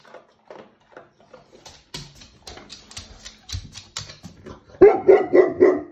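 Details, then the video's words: Female Tibetan Mastiff indoors, unhappy about a workman in the next room, barking while eating biscuits; crunching and chewing clicks, then four deep, loud barks in quick succession near the end. "Tibetan Mastiff barking whilst eating biscuits Workman in next room and she’s not happy"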